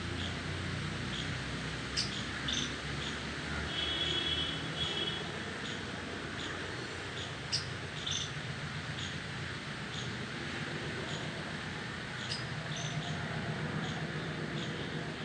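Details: Two squirrels making different sounds while two others react: short, sharp high chirps and clicks repeated irregularly, roughly twice a second, with a brief steady whistled note partway through, over a low constant hum.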